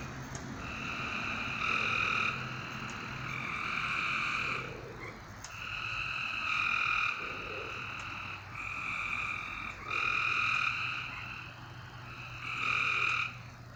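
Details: Frogs calling after dark in near-continuous overlapping bouts: rich buzzy tones rise and fall in loudness every couple of seconds, with occasional sharp clicks and a faint low hum.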